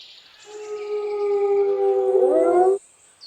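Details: A wolf, shown with its pup, gives one long, smooth howl held on a steady tone for over two seconds, then breaking into wavering, rising and falling notes before stopping abruptly.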